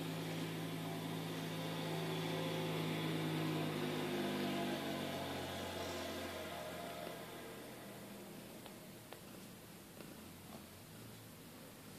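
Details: Steady indoor hum and broadband noise, loudest in the first half and fading after six seconds, with a few faint clicks near the end and no animal voice.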